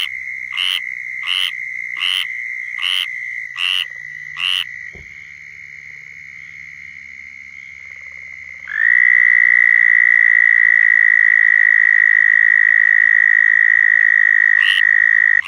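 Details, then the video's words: Southern toads calling in Florida for mating: a faint steady trill under short pulsed chirps repeated about every 0.7 seconds, then a loud, long, even trill rising in from about nine seconds and held to the end. "Southern Toads Calling in Florida"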